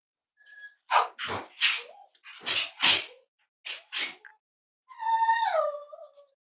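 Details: Cavalier King Charles Spaniel puppies snuggling at home on a warm Friday morning, raised as emotional support animals; bursts of snuffling and rustling give way to a drawn-out, falling, harmonic whimper near the end.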